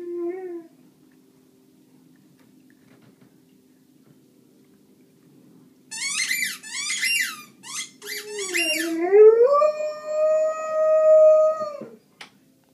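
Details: Rhodesian Ridgeback, 14 months old, indoors, talking: a low tonal whine, a pause, then a burst of sharp squeaky yelps followed by a long sustained rising howl-like moan held for about three seconds.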